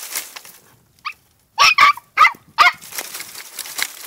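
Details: Two-month-old female Podenco de Cuevas puppy in a riding paddock gives a short series of high, yelping barks, four quick ones close together after a faint first yelp, with light background noise.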